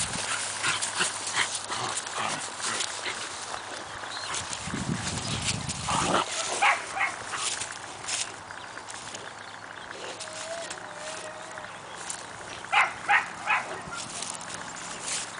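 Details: Two 4-month-old Siberian Husky puppies, Cassia and Disco, at play in their kennel: scattered short sharp yips and scuffling noises, a brief thin whine near the middle, and a quick cluster of louder yelps toward the end.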